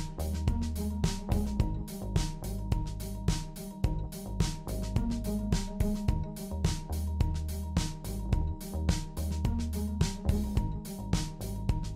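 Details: Steady rhythmic music with a thumping drum beat and deep bass notes fills the whole recording, and no animal voice can be picked out.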